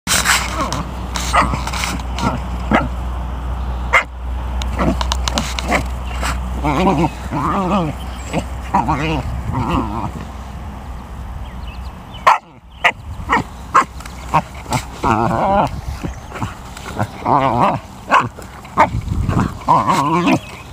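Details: An American Eskimo Dog vocalizes while playing with an abandoned rubber basketball found at a school yard. It gives wavering, warbling, howl-like moans in short bursts, mixed with thumps, handling noise and a steady low background hum.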